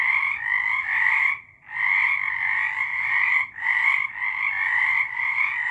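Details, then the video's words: March 2023 night recording of frogs in full song, continuous high trilling croaks broken by two short silences before the chorus resumes. "Frogs singing"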